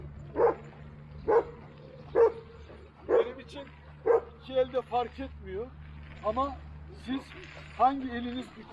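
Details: Old-type Kangal dog Duman gives five evenly spaced, booming barks about a second apart, then a human voice takes over with a few softer sounds mixed in.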